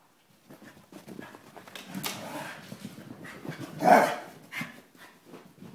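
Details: Kirby and Cricket playing together indoors, growling low and gravelly without pause, with panting and a louder snarling burst near the end.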